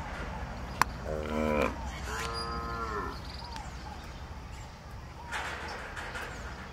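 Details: Gyr cattle, heifers and bulls sired by the bull Bem Feitor, on a farm in El Salvador; two short harmonic moos, the second longer and falling, with field noise and faint voices afterward.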